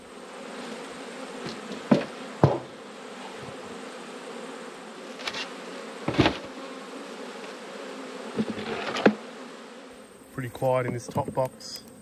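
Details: Colony of honey bees humming steadily while their hive is opened in autumn, broken by several sharp knocks of frames and tools, with a man talking briefly at the end.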